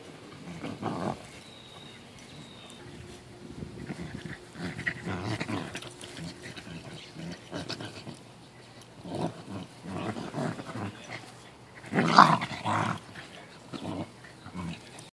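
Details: A corgi playing rough with his friends gives scattered low growls and short vocal bursts, with a louder yelp near the end.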